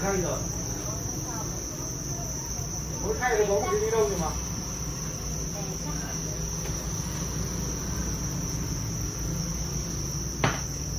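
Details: Dense chorus of Thai crickets bred on a Vietnamese cricket farm: a continuous shrill, even trill held without pause, briefly overlaid by a short spoken phrase and a single sharp knock near the end.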